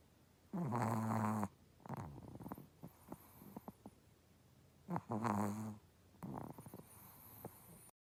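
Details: Chihuahua snoring: two drawn-out, throaty, rattling snores roughly four seconds apart, each about a second long, with soft clicks and snuffles between them and a person murmuring briefly.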